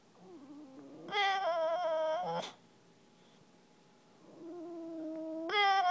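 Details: English Bulldog, a male, whining because he wants someone to play with his frisbee; a soft rising whimper swells into a loud drawn-out nasal whine, pauses in near silence, then another long whine climbs in pitch at the end.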